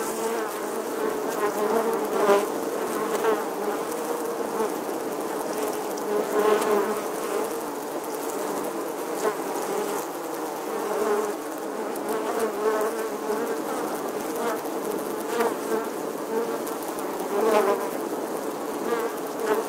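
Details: Western honey bees (Apis mellifera) nesting in the stonework of an 11th-century English church wall in August 2020 fill the air with a steady, droning hum from many wings at once.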